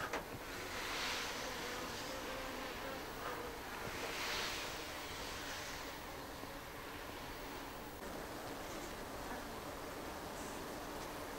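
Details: Japanese honeybees (Apis cerana japonica) in an observation hive on the ceiling of a shed in Japan; low continuous droning hum under steady background hiss, with brief brighter hissing bursts near one and four seconds.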